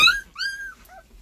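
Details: Puppy seventeen days old, a pet, giving short high whining cries: a sharp yelp, then a longer arched whimper and a faint falling squeak, in a quiet room.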